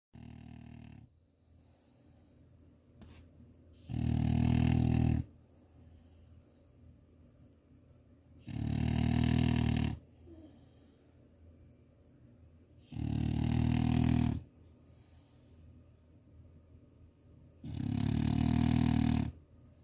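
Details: Moose, a French Bulldog in Chuncheon, snores while fast asleep indoors: four loud, rasping snores roughly every four to five seconds, each lasting about a second, with quieter wheezy breathing filling the gaps between them.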